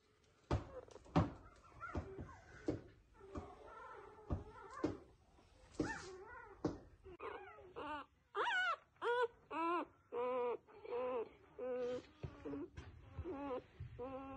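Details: Newborn F1B standard Goldendoodle puppies give thin, high squeaks and whines, repeated in quick bursts.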